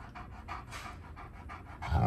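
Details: Tonka, an Alaskan Malamute kept indoors, waits impatiently while waffles and eggs cook for breakfast. Quick, rhythmic panting of about four breaths a second ends in a louder, rougher burst.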